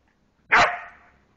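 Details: Single sharp bark from a border collie named Moxie in a forest, trying to play with a young deer it found and woke on a walk; bright, loud burst with a short fading tail.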